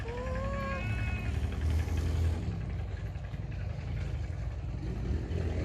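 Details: Feral cat meowing loudly: a single rising, drawn-out tonal meow of about a second opens the recording, then only a steady low rumble of traffic fills the rest.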